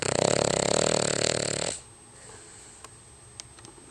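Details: Cavalier King Charles Spaniel called Mister Frodo snoring in his sleep, as he does every day: one long, rough, rattling snore under two seconds, then quiet room tone with a faint steady high whine.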